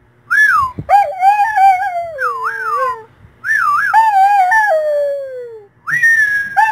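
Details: A singing dog howls in long sliding tones, rising and falling in wavering arcs, in three bursts separated by short pauses, with a faint low hum underneath.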